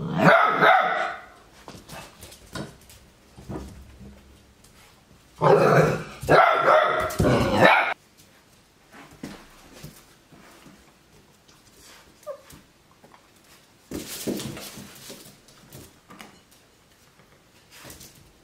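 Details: Eight-week-old Labrador Retriever puppy barking at its own mirror reflection, seen for the first time; scared at first, then getting used to it. Bursts of sharp, growly yaps near the start, a loud run around five to eight seconds, another near fourteen seconds, then quiet.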